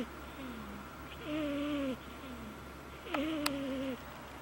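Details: A domestic cat snoring loudly with a high pitch. Thin, whistly tonal breaths alternate between a lower falling note and a higher steady one, roughly every second, over a constant low hum.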